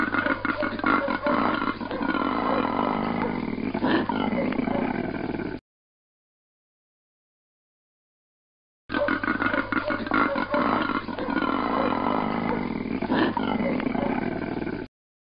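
A koala bellows in deep, rasping, snore-like pulses, heard in two long bursts.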